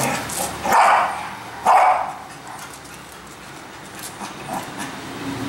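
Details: A Cocker Spaniel playing in the backyard of a home gives two loud, sharp barks about a second apart, then fainter yips.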